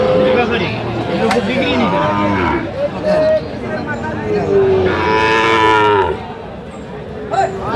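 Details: Sahiwal bull calves at a cattle market in Kurigram, Bangladesh, October 14: several drawn-out, harmonic moos with falling tails, overlapping amid crowd chatter, background music and bargaining voices.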